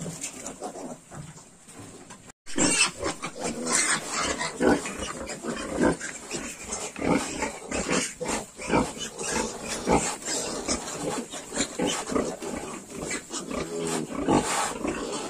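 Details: A group of Yorkshire piglets aged 22 days grunts and squeals busily after a brief break near the start, dense overlapping snorts and rough calls continuing to the end, with steady high-pitched hiss.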